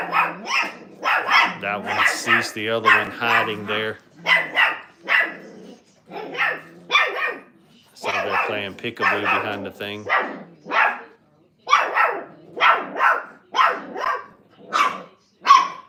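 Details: Five-week-old Brittany puppies in a crate at a training kennel: short high yaps and whimpers come in quick irregular bursts, several pups overlapping, with lower voice-like tones mixed in at times.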